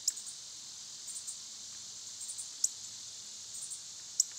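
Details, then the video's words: High, even droning of cicadas in summer fills the background, with three sudden piercing clicks and faint softer chirps scattered between. "Cicada sounds"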